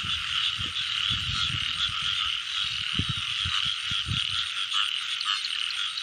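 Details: A thick chorus of frogs in the rain season, with croaks merging into an unbroken buzzing hum while heavy low thumps and splashing-like knocks of the frog catching punctuate the first four seconds.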